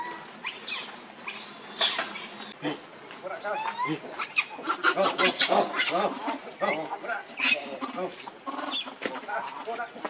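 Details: Monkey Rainbow, very angry while protecting Lucie from Kachoy, gives dense bursts of harsh grunting and screeching calls, some rising and falling, overlapping with other monkey voices throughout.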